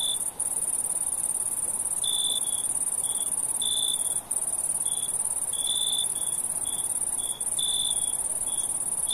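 Crickets at night: a steady, piercing high trill with lower chirping bursts breaking in now and then.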